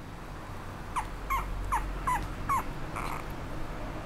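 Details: A Chiweenie, a miniature dachshund and chihuahua mix, gives a run of five short, high whining yelps about every 0.4 seconds, each slightly bending in pitch, followed by a fainter breathy note against a quiet background.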